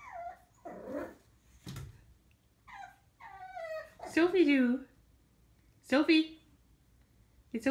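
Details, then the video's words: Sophie, a female pug puppy on her first day home, barks at herself in a mirror indoors: two loud, high, strained yips about two seconds apart among soft whimpers, with a person talking to her in between. "Pug puppy barking at herself in mirror!"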